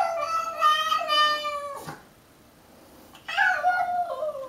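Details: House cat in a fight with a stray, giving strained wailing yowls that waver and slowly fall in pitch, a pause of over a second with little sound, then another descending, tense howl.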